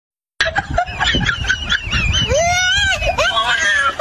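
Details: Mother monkey scolding her baby: a burst of harsh, rapid chattering noises gives way to loud arching squeals that rise and fall, repeated several times with overlapping screechy cries.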